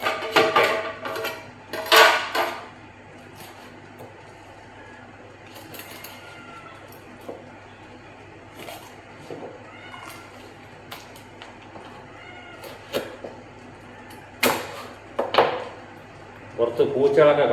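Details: Domestic cats call while chicken is being cut, waiting in hope of getting the scraps; several soft, arching meows appear among loud chopping and clattering kitchen noises.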